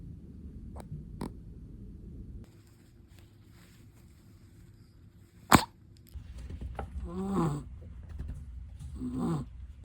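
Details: Faint breathing from a sleeping Chihuahua, interrupted by a sharp tap or click, then two clearer raspy snores with a whistling edge near the end. Low background hum throughout.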